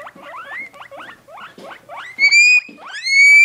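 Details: Two pet guinea pigs, kept in a cage and lively, give rapid rising squeaks in quick bursts, then a louder, longer whistled wheek that climbs and holds high; clean, with no other sounds.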